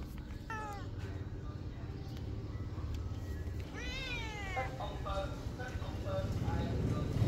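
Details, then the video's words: A hungry cat screaming for food gives loud drawn-out wavering meows, one long strained cry in the middle, over steady low background rumble and some voices. "Hungry for food, this broken-headed cat screams, screams"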